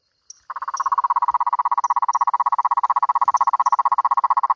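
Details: Cururu toad giving one long, unbroken trill of fast, evenly spaced low pulses, starting abruptly and holding steady for about four seconds, with scattered faint high-pitched chirps behind it.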